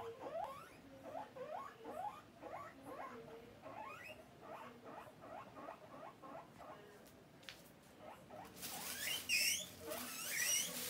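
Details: Pet guinea pig asking for food: a steady series of short rising squeaks, several each second, then a sudden burst of harsh, hissy high-pitched noise near the end.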